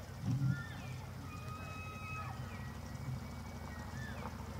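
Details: Elk rutting in the evening of 24 September 2024 at the Slippery Ann Elk Viewing Area, Charles M. Russell National Wildlife Refuge, Montana; distant thin whistled bugles hold long level tones, with several overlapping, over a steady low rumble.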